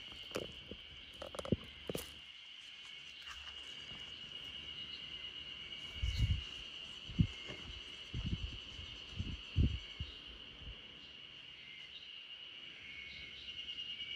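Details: Backyard chorus of spring cicadas sung as a lullaby for RunRun, a Great Pyrenees asleep: a continuous shrill, even buzz holds steady over low rumbling thuds and soft bumps that come and go.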